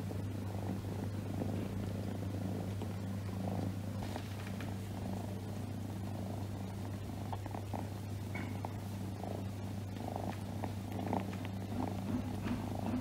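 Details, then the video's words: Pet cat purring on its owner's lap; a deep, unbroken rumble that swells gently with each breath roughly once a second, with occasional soft rustling of movement. "My cat is purring on my lap"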